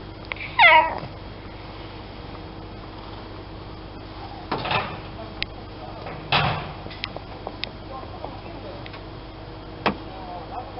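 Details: Domestic cat giving a single short meow at the start, wavering in pitch, followed by scattered knocks, clicks and rustling indoors.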